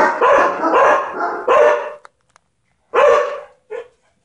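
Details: Loki the dog barks at ladybugs: a quick burst of several harsh barks, then a pause, one more loud bark and a short trailing yelp.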